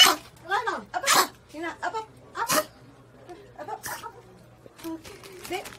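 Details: Pomeranian puppies, prompted with the command "speak", give sharp, high-pitched yappy barks, with a person's voice speaking between them.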